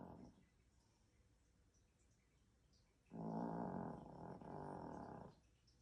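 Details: Asleep indoors, a Chihuahua puppy snores: after near silence come two drawn-out, rasping, low rumbling breaths, each about a second long, separated by a brief gap.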